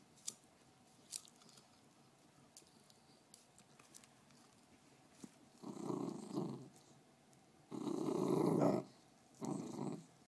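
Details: Fergie, a beagle guarding her bone and very protective over her bones, gives three low rumbling growls in the second half, each lasting about a second, separated by short pauses; the first half is quiet apart from faint clicks and small knocks.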